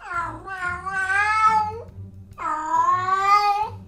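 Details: Cat (Felis catus), caterwaul: unspayed female attracting mates before going into heat.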